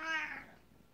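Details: A male Siamese cat, greeting his owner returning from work, gives a single strong, tonal meow, bright and nasal with many overtones, fading within half a second, then faint room quiet.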